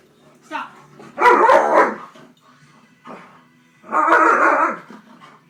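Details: Female pet Alaskan malamute talking back to her owner: two long, loud, harmonic woo-woo howling vocalizations, each under a second, separated by a pause, with brief human speech between them.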